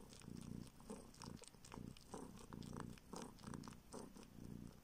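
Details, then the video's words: Orphaned street kitten from northern Siberia nursing on a finger in search of milk, purring in rhythmic rumbling bursts roughly twice a second, with moist suckling clicks over the top. "Kitten SUCKS finger in search of milk!"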